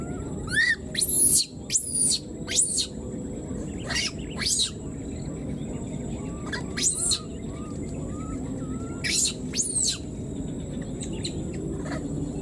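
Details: A left-behind wild newborn monkey keeps calling for its mother, giving loud, piercing rising-and-falling screeches in quick bursts, then softer short wavering cries, all above a constant low rural hum.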